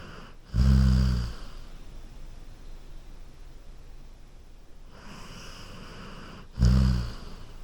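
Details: Golden Retriever sleeping on a couch snores twice, six seconds apart; each snore is a deep, buzzing rumble under a second long, separated by soft, steady breathing in a quiet room.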